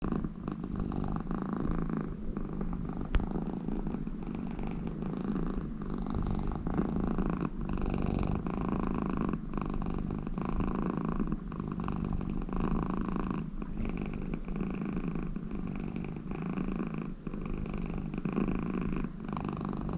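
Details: An American Shorthair cat, very content with her owner lying beside her, purring steadily and deeply without a break, with a soft, even rumble throughout.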